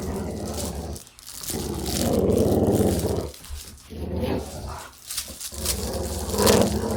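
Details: Dog at play growling: a throaty, grinding growl swelling over a couple of seconds, then shorter choppy growl bursts with gaps, ending in a sharper, louder snarl.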